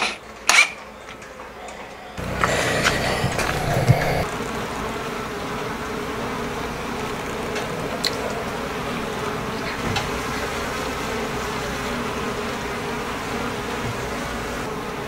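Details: Japanese honey bee colony in a hive box, 50 days after settling in on 3 May, as a fifth tier is added and handles fitted; knocks and handling noise at first, then a steady low, dense hum of many bees.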